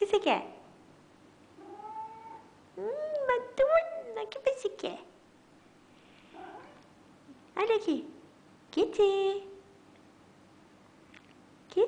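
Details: Maine Coon cat indoors giving a series of clear, drawn-out meows and short chattering chirps, some rising and others falling in pitch, spaced across the clip, with people talking softly between the calls.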